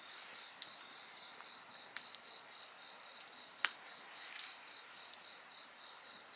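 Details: Shrill insect song, steady ringing with a quick pulsed chirp beneath, is punctuated by several loud crackling pops from a burning bonfire.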